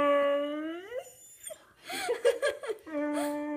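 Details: Hungry whippet BB producing long, steady, howl-like tones, one sliding upward at its end, separated by a burst of human laughter and chatter before the singing note resumes.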